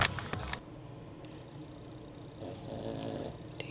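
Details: A female Boston Terrier snores "like a man" with low, rumbling, rhythmic breaths in a quiet room.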